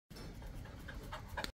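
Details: Boerboel, also called African or South African Mastiff, one of a male-female pair of dogs living in Egypt, panting: a steady rasping breath for about a second and a half, ending with a few faint squeaky higher notes.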